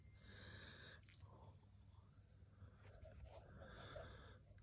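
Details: Kitten in Turkey giving two drawn-out, high, tonal mews, one at the start and one near the end, over a steady low hum.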